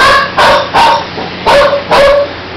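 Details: Fifteen-day-old puppies in a litter kept with their mother give five short, sharp yips in quick succession.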